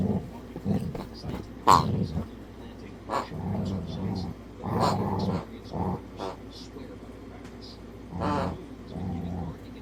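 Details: Pet dog softly growling at his squeaky toy pig when it makes noise; low rumbling growls broken by short squeaks and a few spoken words from a person nearby.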